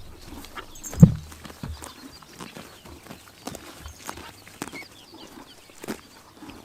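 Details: Grass-eating horses on a summer morning in Mongolia's Tuv province; one loud dull thump early on, then scattered crunchy bites and soft munching clicks over a low rural hum.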